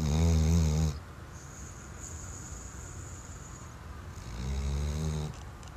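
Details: Sleeping Weimaraner snoring indoors: two deep, rumbling snores, the first lasting about a second, the second following after a quiet pause of a few seconds, with soft breathing between.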